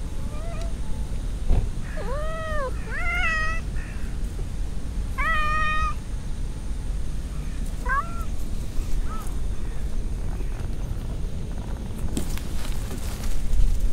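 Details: Several stray cats in a pond-side park meow in quick succession: curved, rising-falling cries in a cluster, then a short mew after a pause, with low ambient rumble and a brief rustle near the end.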